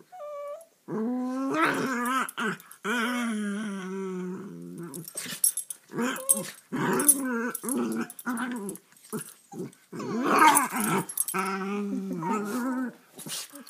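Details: Sammy, a rat terrier/Boston terrier cross, and Tiki, a beagle/Boston terrier cross, both rescued and nearly two years old, wrestle in play; rumbling, wavering growls run almost continuously, mixed with scuffling, snaps and brief higher whines.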